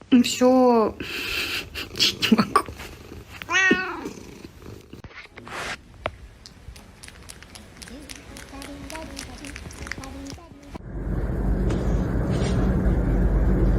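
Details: Domestic cats in a home compilation: two rising-falling harmonic meows near the start, then overlapping speech, a soft purr-like rumble, and a steady broad noise toward the end.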